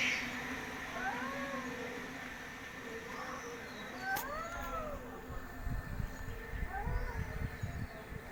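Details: Cats gossiping trade short, arched, whiny meows, about five rising-then-falling mews spaced one to two seconds apart, one louder and more drawn out near the middle, over a steady low rumble and faint background noise.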